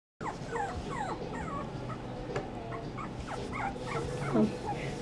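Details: Six-week-old orange sable Pomeranian puppy in Willow, Alaska, giving a run of thin, high whimpers and yips with rising and falling squeaky notes, over steady background hum.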